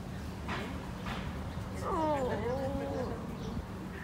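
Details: Street dog in Mexico, asleep and seemingly dreaming of running, gives a brief wavering whimper that rises and then slides down in thin harmonic curves over a steady low hum. Faint background noise runs throughout.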